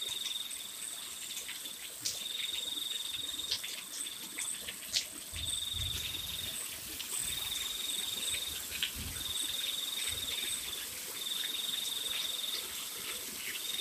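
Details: Night crickets in the rain give repeated shrill trilling bursts, each lasting about a second, with short pauses between them. They sit over a steady wash of falling rain with a few soft low thumps.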